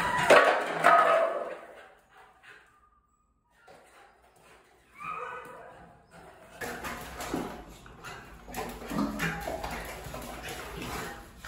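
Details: Valencia, a female American Staffordshire Terrier up for adoption, largest and only female of a five-puppy litter born outdoors during a winter storm; a loud rough burst of barking opens, then silence, then softer whining yelps over a faint steady hum.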